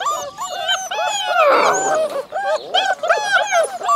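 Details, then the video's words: Alaskan Malamute puppies from a litter of eight born February 2013, a chorus of overlapping high wavering howls and whines, continuous and layered, with a louder rough burst midway. "alaskan malamute puppies howling"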